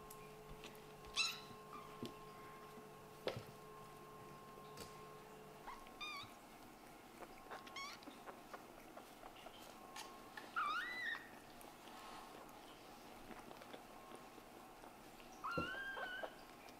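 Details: Kittens in a litter of Scottish Fold and British Shorthair parentage, playing indoors; a few short high meows spaced several seconds apart, some rising then falling, over a steady electrical hum and soft knocks.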